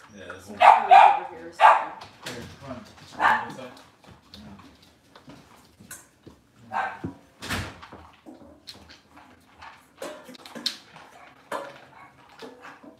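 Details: Cavalier King Charles Spaniel in an indoor kitchen on a cloudy Monday morning, where moms, puppies and dads are kept: a burst of sharp, high yipping barks in the first two seconds, then scattered softer yelps while people talk nearby.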